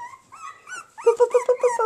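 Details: Havanese and bolonka puppies whimper: a drawn-out thin whine, then a quick run of six short, evenly spaced yelps, sharp and squeaky, in a quiet indoor setting.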